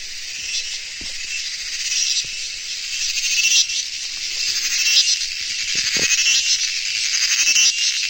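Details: Cricket chorus as a bright, shimmering high buzz that swells and ebbs in loudness, with scattered soft low clicks in the background.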